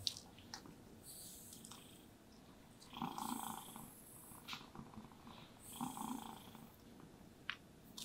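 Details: Contented domestic cat purring while being brushed, the rumble swelling in breath-like surges about every three seconds, with soft brush strokes and light scratchy sounds between.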